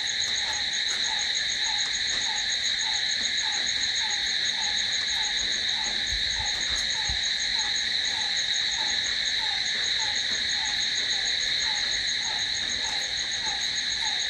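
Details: Crickets calling at night: a dense, unbroken high-pitched trilling stacked in several steady bands. Beneath it, a short soft falling note repeats regularly, roughly every half second to second.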